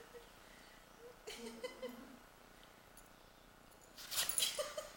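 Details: Female dog that would not stop sneezing, the fit lasting almost 30 minutes: one abrupt sneeze, soft voice-like sounds, then a louder burst of rapid, wheezy sneezes close together.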